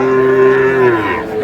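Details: Sahiwal bull calf being bought by a farmer in Mymensingh, Bangladesh, 7 May: a single clear, even-toned moo held for about a second, then dropping slightly at the end, with faint background voices.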